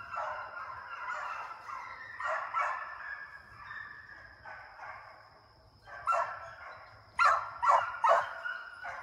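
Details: Young deer-hunting hound pups being conditioned in a fenced fox pen, running after coyotes in summer to build speed and endurance; bursts of overlapping bawling bays rise and fade, with quieter gaps and a steady high electronic tone behind.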